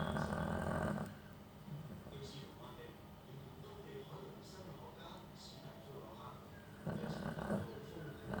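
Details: Chow Chow in deep sleep after bathing, recorded January 28, 2021: loud, low rumbling snores in one long burst at the start and another near the end, with quieter breathing in between.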